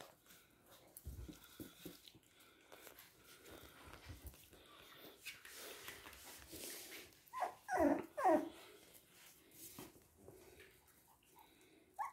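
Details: Toy and miniature poodles indoors in Hahnstätten on 19 February 2022; after soft rustling and snuffling, a short burst of high, wavering whimpers and squeaky yelps rises and falls near the eighth second, then fades to quiet shuffling.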